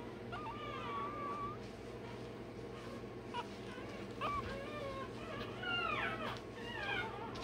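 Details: Day-old Rottweiler puppy having its tail and dewclaws done. Thin, high whining squeals that rise and fall. They come in short bursts, with steady low background hum throughout.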